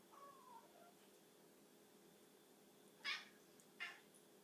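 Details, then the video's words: A pet cat making weird sounds over a tiny bug, indoors: a faint tonal mew early, then two short bright chattering chirps about three and four seconds in, over low steady room hum. "Funny cat noises"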